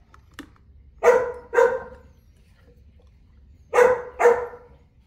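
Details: Boerboel, the South African Mastiff, kept in Egypt, giving deep, loud barks in two pairs of quick double woofs separated by a pause of about two seconds.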